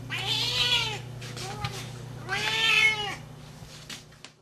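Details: Loud calling of a 12-year-old female Siamese cat looking for love: two long, harsh, wailing meows framing a shorter, quieter one, pitch swelling and falling, over a faint steady hum.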